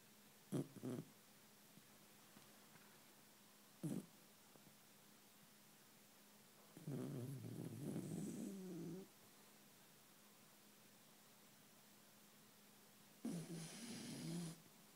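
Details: A Basenji, deep asleep, snores in low, rumbling bursts separated by quiet pauses; the breed can't bark but can snore.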